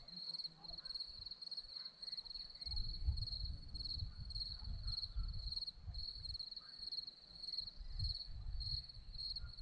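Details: Crickets on a hillside at Zorlesti, Romania, keep up a continuous high pulsed trill, partly masked by strong low wind or handling rumble through most of the recording.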